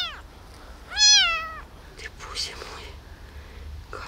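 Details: Hungry abandoned kitten rescued from a box gives one clear, bright meow with a brief fainter cry before it, followed by handling noises and a woman talking quietly.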